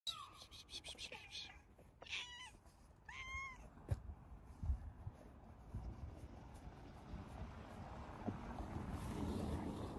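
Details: A male stray cat, once hungry on the streets, gives three short, quiet meows in the first few seconds, each rising then falling. Soft background noise and faint rumbling follow.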